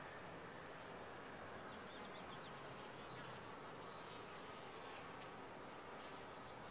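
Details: Honey bees inside a top-bar hive, a dense steady buzzing hum filling the whole clip with a faint low drone throughout.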